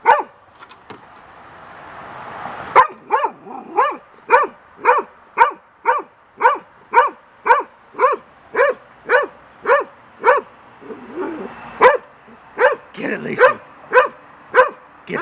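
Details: A young golden retriever barks at a large bird's feather blowing in the wind on a deck, attacking it while scared: a long, rapid string of punchy barks nearly twice a second, briefly breaking into whines and yips near the end.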